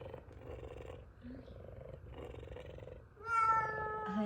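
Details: A big F2 Savannah cat purring loudly while waiting for chicken. A steady, rough, pulsing purr runs for about three seconds. It is then cut off by a loud, drawn-out meow from a second Savannah cat.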